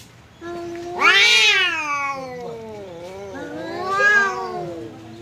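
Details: Domestic cat facing off with a visiting cat: a low steady growl building into a loud, rising and falling yowl, followed by a long moaning tone and a second wavering cry.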